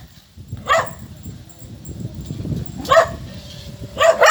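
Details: Small dogs, one of a group of four, give three separate sharp barks spaced over a few seconds, with low rumbling background noise and voices between them.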